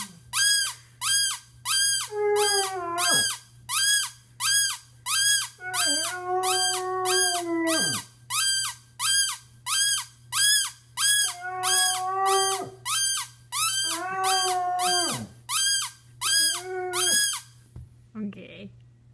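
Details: A pet Basset hound named Penny nearly howls, a first in 5.5 years, giving short, sustained, moaning tones with downward-falling tails. A fast, even series of sharp, high pulses runs continuously and dominates the gaps.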